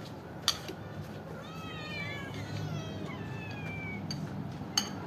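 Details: Stray cats and kittens waiting to be fed, several meowing over one another in overlapping rising and falling harmonic cries through the middle seconds, with two sharp clicks and a low background hum.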